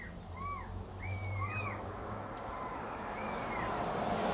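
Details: Cat and kitten at feeding make a few short, high, arching mews. Steady hissing noise grows louder toward the end, and a low hum runs throughout.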